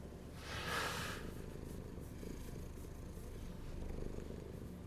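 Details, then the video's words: Hungry domestic cat purring in a low steady rumble, interrupted early by a short brighter burst of rustle or movement. "Hungry Cat Behaviour"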